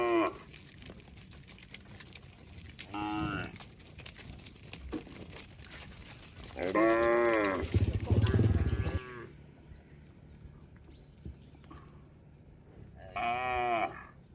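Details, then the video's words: Cattle from a herd wandering along a road, giving several short harmonic moos spaced a few seconds apart, with rustling and a burst of low rumbling noise midway. "suara sapi bunyi"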